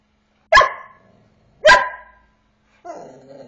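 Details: Eight-month-old Border Collie named corVata asking to play: two sharp, loud barks about a second apart, followed by a softer whining, wavering sound at the end.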